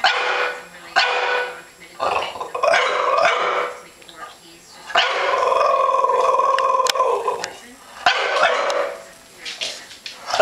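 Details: : a one-year-old male French Bulldog, scared of a plastic comforter bag, barking at it indoors; harsh broad barks in bursts of a second or two, interleaved with a person talking.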